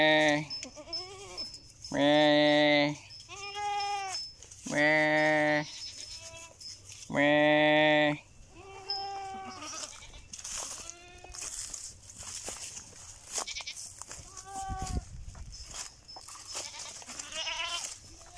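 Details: Goat bleating: three loud, drawn-out, strongly harmonic bleats, each about a second long, come roughly every two and a half seconds, followed by a run of quieter, wavering bleats and a few short soft calls.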